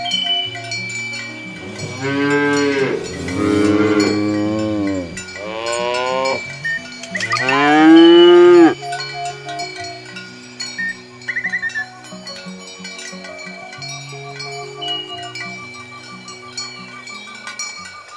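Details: Fat, healthy cattle on their morning walk to the field: three loud, drawn-out moos in the first nine seconds, the last one highest, then only cowbells clinking and ringing.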